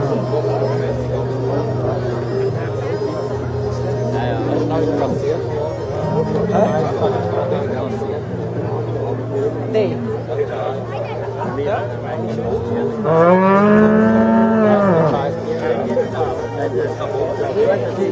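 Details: At the Zürich Unterland cattle show in Switzerland on 26 April 2014, Holstein cattle in the judging ring; one loud, arching bellow rises then falls late on, with people talking throughout and a constant low drone.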